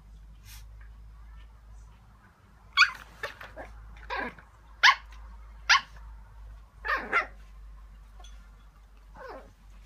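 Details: Chihuahua puppy named Chai, born 11 May 2015, in Japan, battling its bed; short sharp yaps and growly bursts scattered irregularly about every second or so, with a steady low hum beneath.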